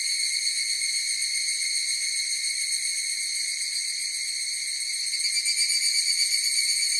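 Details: Chorus of higurashi cicadas, a steady, shrill, ringing drone of stacked high tones that holds unbroken throughout, with faint pulsing and a slight swell in loudness near the end; no other sounds.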